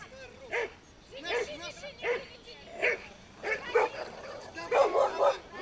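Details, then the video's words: Pit bull playing tug of war in a 'pitbull show': short, spaced yelping barks with bright harmonics, about one every three-quarters of a second, rising to a denser cluster near the end over a low background. "питбуль шоу: перетяжка 2"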